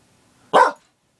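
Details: A female Border Collie in a barking frenzy gives a single sharp, loud bark that ends abruptly.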